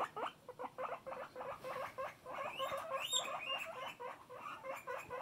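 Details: Loud pet guinea pig giving quick runs of short squeaky notes that turn into rising, slurred whistled squeals midway, then settle back into rapid chirping pulses.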